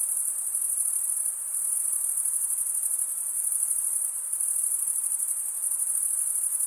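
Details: Summer night chorus of crickets in forest, a dense unbroken high trill with slight swells in loudness around the second and fourth seconds; nothing else is audible.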